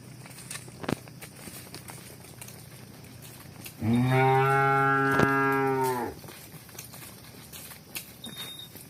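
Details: Cow mooing while the herd runs and walks: a single deep, level moo lasting about two seconds, full of harmonics, with a sharp knock midway and scattered thumps and clicks around.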